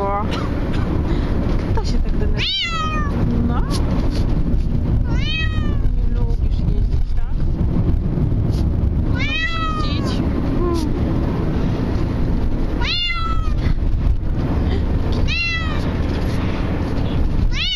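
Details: Bengal cat crying while travelling in a car: loud, descending wailing meows with strong harmonics, spaced every two to three seconds, over steady low engine rumble and road noise, with a person speaking quietly.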